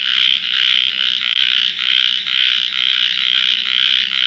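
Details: Frogs calling loudly at night near water, one frog seen calling with puffed-out cheeks; a high-pitched, buzzy chorus swelling in pulses about twice a second.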